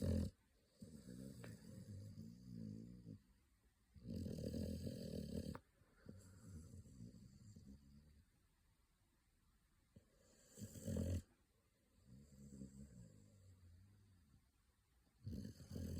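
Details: Sleeping American Pit Bull Terrier puppy Pocky, eyes rolled back, snoring in long low rumbling breaths, each lasting a few seconds and separated by quiet pauses, with fainter snuffling between the louder snores.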